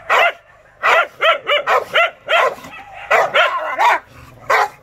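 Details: Enraged Rottweiler barking in harsh, ringing bursts, a rapid run of four or five barks followed by longer, drawn-out ones.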